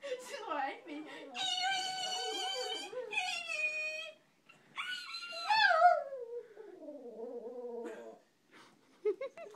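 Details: Pekingese prompted to "talk" in a small room, producing sustained harmonic moaning howls that slide up and down, then falling whimpers, with human speech around it.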